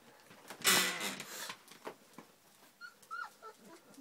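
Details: Three-week-old puppies that have just enjoyed their first taste of food: a loud, broad rustling burst, then a few short, thin, high whines with small pitch bends near the end.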